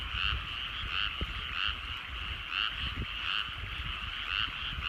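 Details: Frogs in countryside paddy fields at evening sunset: rhythmic buzzy croaks repeating about every half to one second, a continuous chorus over low rumbling background and occasional soft clicks.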